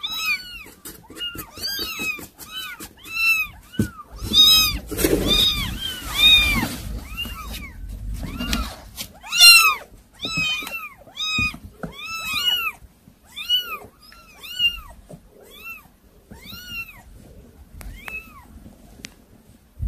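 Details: Several unruly kittens meowing almost nonstop, with high, arching mews that overlap and follow each other rapidly, some louder and strained. A burst of rustling and handling noise comes in the middle.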